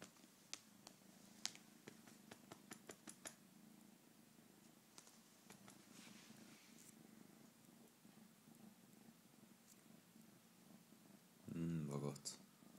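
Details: Domestic cat indoors in a small room, purring steadily as a low continuous rumble. Scattered sharp clicks and rustles sound early on, and a short, loud harmonic cry breaks in near the end.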